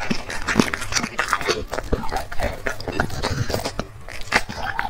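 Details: Black dog eating a meal of chicken and vegetables, loud crunching bites and wet chewing packed closely together, sharp clicks of teeth between softer mashing sounds, recorded close up.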